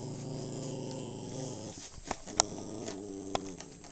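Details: Steady, low, throaty growl from a household dog of unsure breed, perhaps Maltese or Shih Tzu, held for about a second and a half before breaking into rougher rumbles mixed with small clicks and handling noises.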